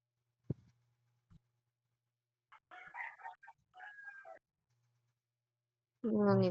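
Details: Neighborhood cat feuding with an orange cat: a stretch of harsh, wavering yowls in the middle, quiet for a moment, then a loud, strained yowl that breaks in at the end, with a couple of soft thumps near the start.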